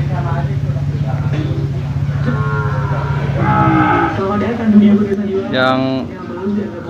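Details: Cattle for sale at the Jonggol animal market, lowing in a few drawn-out, harmonic moos, one rising and breaking off near the end, over a steady low engine hum and market voices.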